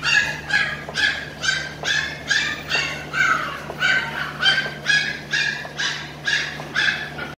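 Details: Show-quality Saint Bernard, male and female dogs in Delhi, pups available; a steady run of about sixteen short, bright yelping barks, roughly two per second, with a constant low electrical hum underneath.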